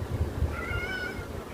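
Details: A pet cat gives a single soft meow, a short tonal cry that rises slightly then falls, heard indoors over low background rumble while a person speaks Filipino nearby.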